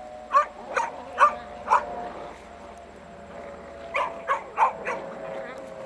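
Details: Beagle at play with a shirt, giving short, sharp yips in two quick bursts, four in the first two seconds and four more near the end, with a quiet gap between and faint background hum.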